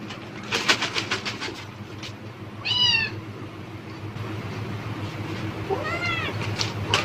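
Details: Cat calling at the sound of a plastic bag, expecting food; two short descending meows separated by several seconds, amid sharp bag crinkling clicks and a constant low background rumble.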